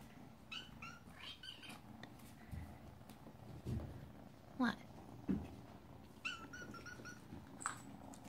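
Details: Hungry foster kittens calling indoors: bursts of thin, high squeaky mews, then a few louder rising-and-falling meows spaced about a second apart over a low room hum.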